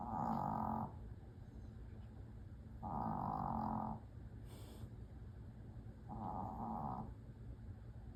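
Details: A Pomeranian named Choco, a heavy snorer, asleep at home. Three long, rough snoring breaths come at a slow, even pace about three seconds apart, with quiet pauses between them.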